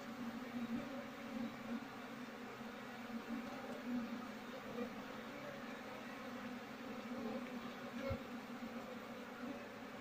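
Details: Wild honey bees being moved into a cultivation box while the queen is sought. A steady, low droning hum holds an even pitch for ten seconds, with faint shuffling and a soft thump near the end.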